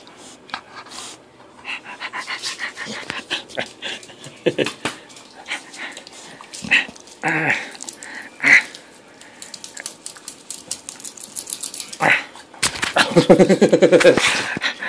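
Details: Bulldog playing with a person, recorded 20 August 2013: rapid bursts of snorting and panting breaths in irregular runs, a few louder gruff bursts around the middle, then a dense rough bout near the end.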